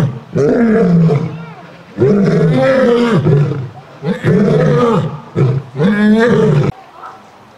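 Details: Three lions eating and roaring. Deep, harmonic, arching roars and growls come in four loud bursts about every one to two seconds, with short quiet gaps between them.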